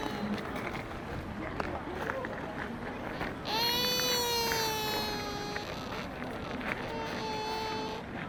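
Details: Sika deer at Nara Park, Japan, giving a drawn-out, tonal, slightly falling squeak of about two seconds, then a shorter, steadier squeak a second later, over a constant murmur of people and outdoor background noise.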